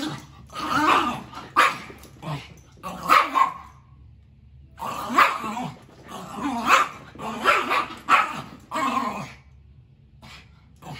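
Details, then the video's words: Indoor play fight between two brother dogs, a Maltese and a Shoodle: bursts of sharp barks and growls, several quick bouts separated by brief silences. "Snowball and Jackson. Maltese dog V Shoodle"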